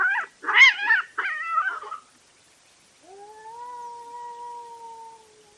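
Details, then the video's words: Night cat fight caught on a trail camera: loud, harsh spitting hisses in three quick bursts, a short silence, then a steady drawn-out tonal yowl that slowly fades. "Cat Fight at Night & Call Weird Sounds"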